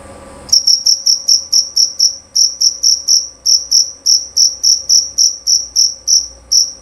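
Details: After a brief quiet start, a male jerabang cricket launches into loud, clear, high chirping. Rapid pulses repeat about four per second, grouped in short runs with tiny gaps.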